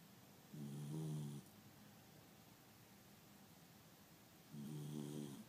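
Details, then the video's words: Sleeping dog with open eyes snores loudly indoors, two low buzzing snores roughly four seconds apart, each about a second long, with soft hiss between. "Snoring with his eyes open"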